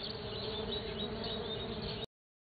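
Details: Stingless bees on a sunflower, 9 December 2013, making a steady, dense, low-to-mid buzzing hum for about two seconds before it stops abruptly.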